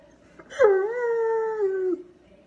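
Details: Dog howling in a single sustained tone of about one and a half seconds, starting with a sharp rise, then holding a steady mid pitch with clear harmonics before dropping off abruptly; quiet background.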